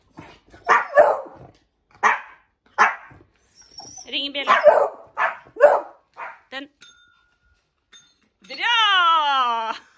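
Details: Barking indoors during a session where Hendo, a 10-month-old Pomeranian, teaches Salto the beagle to ring a bell; sharp barks come in bursts about a second apart, between Norwegian praise and commands, with a brief bell ring.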